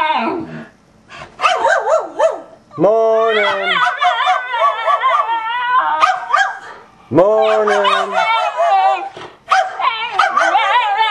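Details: Two dogs indoors, a basenji and a Miniature Australian Shepherd, singing, yodelling and howling together: overlapping wavering, rich harmonic howls with quick pitch wobbles, rising onsets and short yelps between long sustained notes.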